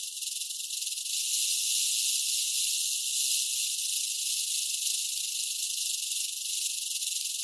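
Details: Warning rattle of a rattlesnake shaking its tail: an unbroken, harsh high buzz that swells after the first second and then holds level to the end.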